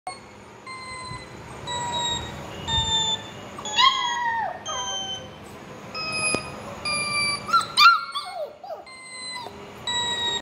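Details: A one-month-old Labrador puppy howls along to a playing sound with short, high, quavering howls that bend and fall in pitch, two main bursts a few seconds apart, over sustained, evenly spaced musical notes.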